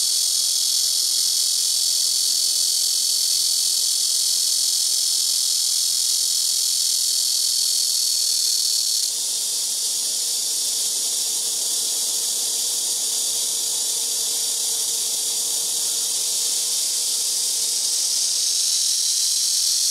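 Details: Several black cicadas in trees around a house rooftop, taking turns very noisily: a continuous, harsh, high droning buzz whose tone shifts slightly partway through as another insect takes over, with a faint low hum.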